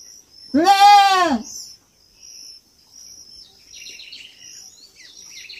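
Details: One strong, wavering bleat from a young goat on a farm, then a lull filled by small bird chirps over a thin, continuous insect buzz.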